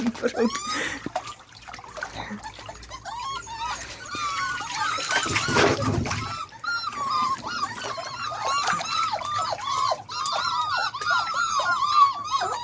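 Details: Beagle puppies learning to walk in water whine and squeal almost continuously, dense overlapping high whimpers repeated several times a second, with a noisy splash partway through.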